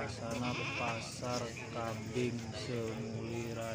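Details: Goats at a crowded goat market in Semuli Raya, Lampung Utara, Indonesia; several wavering, nasal bleats overlap in quick succession while a man talks throughout and other crowd noise fills the background.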